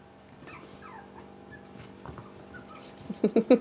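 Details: Italian Greyhound whimpering indoors: a thin whine slides downward through a second, then a quiet stretch before three short, sharp yips close together at the end.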